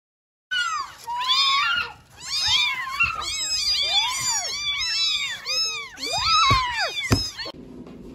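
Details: Four abandoned kittens, left in front of a house in Cambodia, meowing all at once: a dense chorus of overlapping high, arching mews, rising then falling, with one brief lull near two seconds before the calling resumes.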